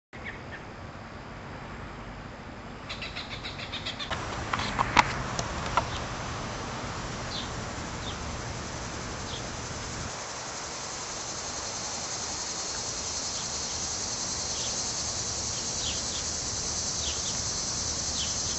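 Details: Cicadas in Munster, Indiana, emerging in July heat to molt and mate, fill the air with a steady, high, hissing drone that swells after a few handling knocks.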